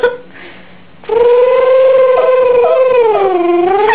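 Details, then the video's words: Yorkshire Terrier Benji howling at home, one sustained wavering wail after a brief quiet start, holding steady then dipping lower toward the end. "Benji Howling"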